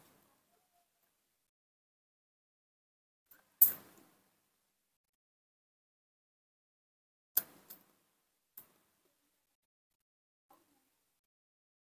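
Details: Near silence broken by a few sharp knocks and clicks, like a door or handling noises, with no animal voice.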